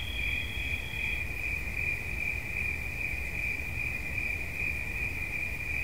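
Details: Cricket chirping for relaxation: two high trills overlap briefly, then the upper one stops after about a second, leaving a single steady, rapidly pulsing trill over low background rumble.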